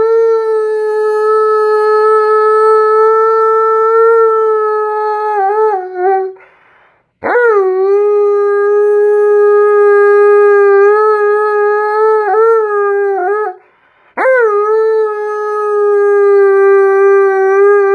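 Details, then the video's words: Alaskan Malamute, a male on the couch, sings back to his owner's "You Are My Sunshine": three long, steady, even-pitched howls, each opening with a sharp upward swoop and separated by brief silences. "Malamute Sings You Are My Sunshine To Momma"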